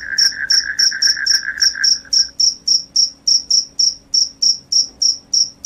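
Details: Cricket chirp, said to repel rats: piercing high trills in a steady rhythm of about three to four pulses a second. A lower, rapid buzzing trill runs alongside for the first two seconds.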